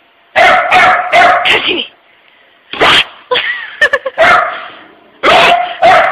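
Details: Puppy Pooper barking at closing time at work, scared of a puppy-shaped tissue holder: rapid clusters of three or four harsh barks separated by brief pauses, with faint talking between.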